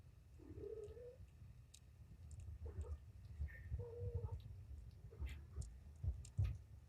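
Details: Kitten from Patience's litter of five, surrendered to Purrfect Pals, being cleaned and given antibiotic eye ointment indoors in the afternoon; two short rising mews about three seconds apart, with handling clicks and a low background rumble.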